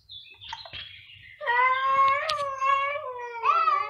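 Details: Domestic cat meowing loudly in a duet of two cats: a thin high call at first, then a strong, sustained harmonic meow holding a fairly steady pitch and swelling again near the end.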